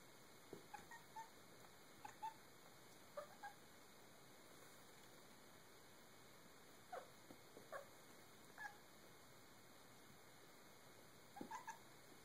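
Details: Kitty chasing the reflection of sunlight, uttering scattered soft chirping barks, brief and clipped, sometimes doubled or tripled, spread out with long quiet gaps and a faint background hiss.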